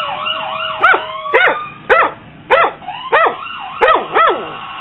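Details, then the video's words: Two pet dogs, one a Catahoula leopard dog and German shorthaired pointer mix, howling and barking indoors: a drawn-out wavering howl opens, then sharp howled barks that rise and fall, about seven in five seconds. "My dogs Freckles and jaskson howling and barking"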